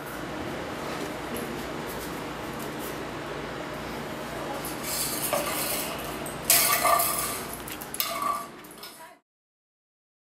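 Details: Clinking of dishes and a plastic pot with faint speech in the background, then silence at the end.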